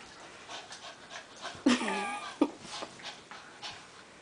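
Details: Two small dogs play fighting indoors, a gray Maltichi named Cosby and a white Maltipoo named Minuet visiting for a few weeks; short harsh growling yelps and panting bursts, with a woman's voice faintly in the background.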